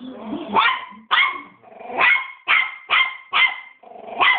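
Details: A three-month-old West Highland White Terrier puppy, described as very angry, barks without stopping: eight sharp, high, evenly spaced yaps in quick succession over a few seconds.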